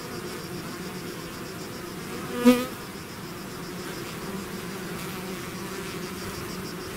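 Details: A honeybee swarm leaving its hive: a dense, steady droning hum with layered bands around two and four hundred cycles, one brief louder bee passing close near the middle, otherwise an even wall of buzzing.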